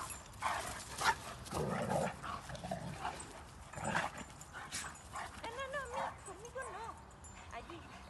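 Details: Rhodesian Ridgebacks playing during leisure time after the 2021 Nationale d'élevage in Châtel Guyon: sharp barks and rough vocal bursts, with a brief rising whine, mixed with people talking in Spanish throughout.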